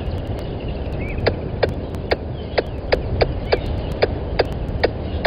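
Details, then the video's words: Squirrel calling by the waterhole camera microphone at Gowrie dam, Djuma Game Reserve, Sabi Sand Wildtuin, South Africa, 10:41 on 12/09/20; sharp percussive chucks spaced roughly every half second, with faint higher chirps and low background rumble. "Squirrel on the mic calling"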